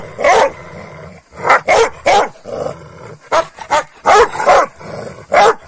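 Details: Morning scuffle between Kangal dogs after a night-time meal of rabbit: loud, rough barks and snarls in uneven clusters, separated by low growling and brief pauses.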